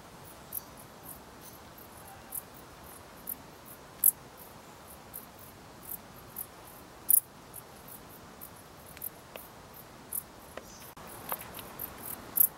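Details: Dark bush cricket giving brief, sharp, very high chirps spaced unevenly, roughly one every second or two, several standing out louder, with faint clicks and quiet background hiss.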